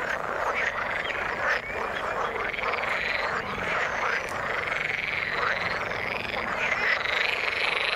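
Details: Frogs in the water keep up a thick, continuous croaking chorus of rapid pulses, with higher thin tonal notes threaded over the rattling mass.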